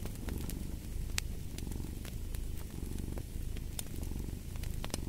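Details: A purring cat gives a dense, vibrating low drone that rises and falls with each breath, while fireplace crackles click and pop above it.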